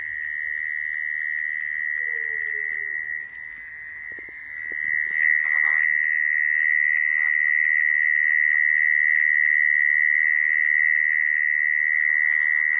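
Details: Mole cricket, its call used in Vietnam to lure crickets for trapping: a continuous, unbroken buzzing trill held at one steady pitch throughout, with faint clicks and brief noise in the background.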